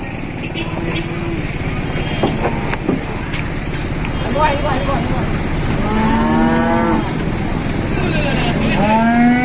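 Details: Jumbo-sized cattle, nine head from a farm near Klaten, Indonesia, arriving by modified truck: long harmonic moos rising and falling in the second half, over steady engine rumble, constant hiss and brief speech.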